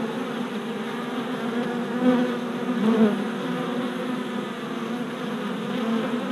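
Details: Many worker honey bees making orientation flights in front of a newly installed hive in April; continuous wing hum with brief louder swells near two and three seconds as individual bees fly past.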